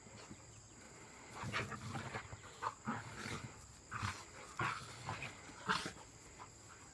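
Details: Big Rottweiler named Duke playing with a puppy in a back yard; several short bursts of barking and play noises, some overlapping, spaced irregularly across the seconds, with a steady background hum.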